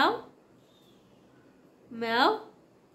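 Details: Young kitten siblings indoors give two short meows, the first falling, the second a rising, slightly wavering cry near the end, with quiet room hiss between.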